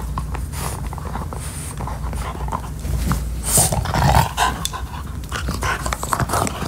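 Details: French Bulldog Max gnawing a beef-flavored Nylabone chew toy: noisy, breathy panting mixed with crunching, clicking bites and a steady low rumble.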